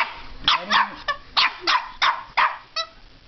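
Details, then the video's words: Puppy barking at a fake alligator head holding its teddy bear; rapid series of high, sharp yaps, about seven in three seconds, with a person talking faintly. "puppy barking at alligator"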